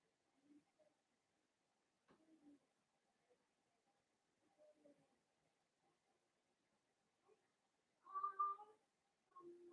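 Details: Blenheim Cavalier King Charles Spaniel puppies, a litter of five born on New Year's, playing with their mother Paris in an indoor puppy pen; scattered soft whimpers and squeaks, ending in a louder rising whine near the end, then a short yelp.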